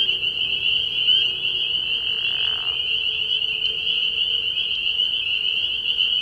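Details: Many spring peepers at a frog pond after dark early in the year, their high-pitched peeps fused into an unbroken ringing wall, with a brief soft lower-pitched rasp near the start.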